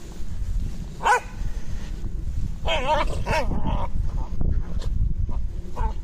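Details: Terrier wrestling in play: one sharp bark near the first second, then a run of rough, growly play vocalizations, over steady low rumbling noise throughout.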